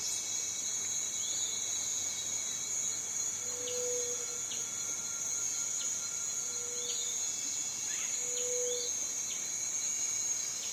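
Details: Cicada droning continuously at a high, even pitch while small birds add scattered quick chirps and three short low hums sound at intervals.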